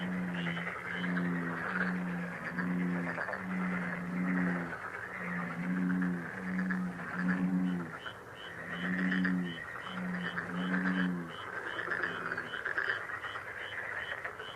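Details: Frogs heard as a relaxing lucky sound: a steady series of low, droning, harmonic notes, roughly one every second and a half, over a continuous chorus of rapid clicking trills and faint higher chirps.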